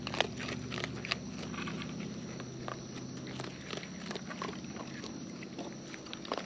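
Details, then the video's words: Wild raccoons filmed close up while eating, with natural chewing sounds: sparse sharp clicks and smacks scattered over a steady low rumbling background. "Wild Raccoons & ASMR Chewing Sounds"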